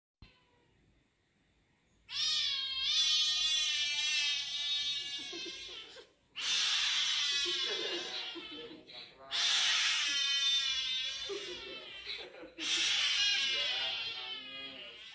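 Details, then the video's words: Kitten crying after an injection, indoors: four long, loud, harmonic wailing cries, each about three seconds, rising then wavering, separated by short pauses, after a quiet opening. "The kitten is crying because it was injected"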